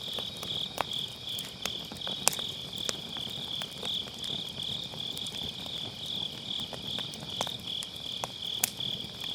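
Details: Steady, high-pitched chirring of grass insects on an autumn night, unbroken and faintly throbbing, while firewood in a round fire pit crackles and pops at irregular moments; MKE600 microphone with low-cut filter.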